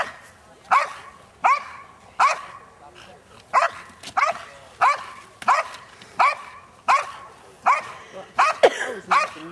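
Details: Seven-and-a-half-year-old female Belgian Malinois in French Ring decoy work at the 2009 NARA Championships, guarding an object: sharp loud barks repeated roughly every 0.7 seconds in a steady series, with faint voices behind.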